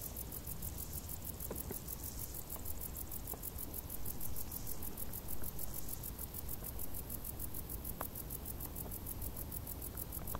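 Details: Summer crickets calling from tall grass: rapid, evenly spaced high chirping pulses form a continuous shimmering trill, partly masked by heavy low-pitched rumble and a few faint clicks.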